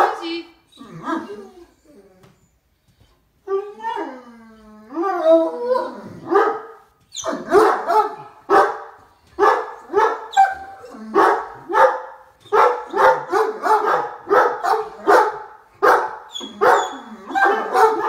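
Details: Two excited Great Danes give deep barks in rapid bursts as they wait for their owner to pull into the driveway, answering a person asking "Where's Daddy?"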